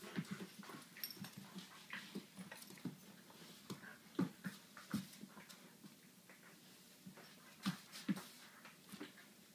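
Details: Ohso and Kola, the Dunrovin puppies, at play: soft low whines and brief squeaks come in scattered bursts, with sharper yelps near the fourth and eighth seconds, among light scratching and tapping sounds.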